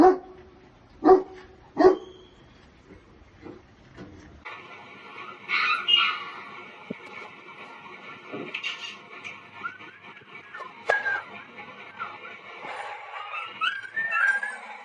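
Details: Puppies offered for sale in India: two sharp barks close together near the start, followed by thin, high whimpering yips scattered over a steady humming background tone.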